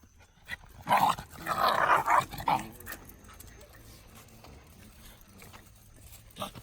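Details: Shiba Inu dogs, one of them red, roughhousing in a pushing match on 24 July 2019. A cluster of loud, harsh, voiced bursts lasts about a second and a half, followed by quiet rustling.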